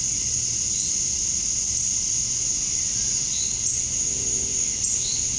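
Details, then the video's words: Summer dusk chorus of male cicadas in Georgia, USA, calling to draw in females: an unbroken shrill whine, with a few faint, brief higher notes from other callers. "Cicadas at Dusk, Summer Night"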